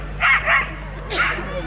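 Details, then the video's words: Belgian Shepherd at a national breed show (Nationale d'Elevage) agility event, barking: two sharp barks in quick succession, then a third after a short pause, with a low steady hum and a man talking nearby. "Berger Belge Agility"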